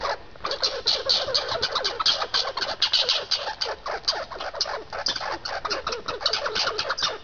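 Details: Harsh, fast, scratchy chattering from two squirrels squabbling over seeds, with bursts of rapid pulses that rise and fall in loudness and repeat throughout the seven seconds.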